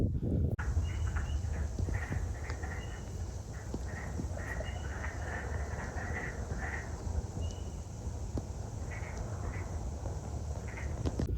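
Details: Wood frogs (Lithobates sylvaticus) give a breeding chorus while spawning in spring in Midwest wetlands: short, hoarse clucks that sound much like quacking ducks. The frogs stop calling when approached within about 50 yards.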